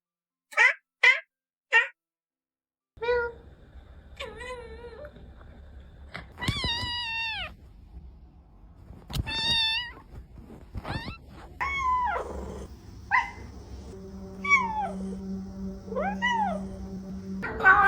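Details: Domestic cat meowing: three short sharp mews, then a run of longer harmonic meows that bend up and down, some drawn-out and wavering, with a steady low musical hum under the later calls.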